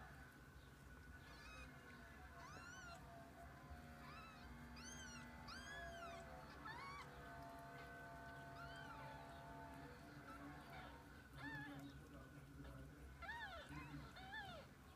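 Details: Kittens with their mother cat spending the day together: repeated high, arching meows come in short bursts, clustered near two, five to seven and thirteen seconds, over a steady low tonal hum that may be faint music.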